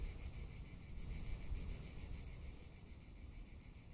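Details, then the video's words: In Tuscany in summer, cicadas produce an unbroken high sizzling trill with rapid even beats, carried over a gentle low wind rumble. "Cicada or Cigarra - Sounds of summer in Tuscany"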